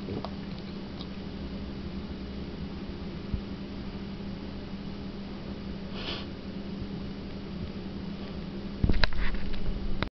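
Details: A pet bulldog indoors reverse sneezing: rapid, low, snorting breaths packed close together over a steady background hum, turning into a louder, harsher burst near the end.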